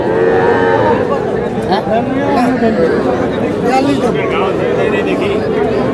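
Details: Young bull and heifer calves, Sahiwal among them, at a cattle market in Madaripur, Bangladesh; several moaning moos rise and fall, partly overlapping, while buyers and sellers talk loudly and bargain nearby.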